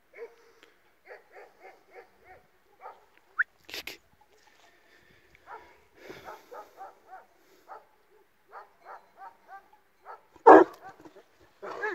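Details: Dogs from an Illyrian Shepherd versus Presa Canario mix encounter: a run of short, evenly spaced barks and yelps, with a few louder harsh bursts near the middle and end.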